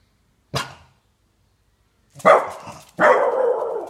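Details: A French Bulldog aged 12 months trying its first howl: one short sharp yelp, a silence of over a second, then two rough, breathy, broadband cries, the last drawn out for about a second.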